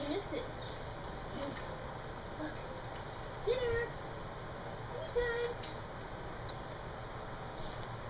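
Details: Standard Poodle puppies at dinner time, now expecting food from a stainless steel tray rather than only from their mother; two short, thin whines with a slight bend in pitch rise about two seconds apart over a low, steady room hum.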